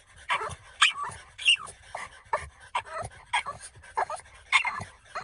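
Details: French Bulldog panting: rough, quick breaths in uneven bursts about every half second, with squeaky whimpers and snorts.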